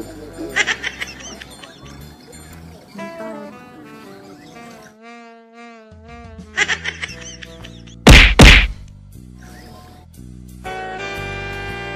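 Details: Background music with a couple of loud thwacking knocks and no clear animal call.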